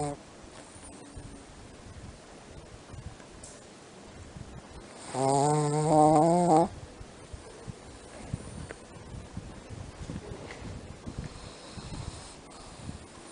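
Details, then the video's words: A female Shih Tzu snoring in her sleep gives a single low, buzzy snore lasting about a second and a half. "Miko shih tzu snoring in her sleep."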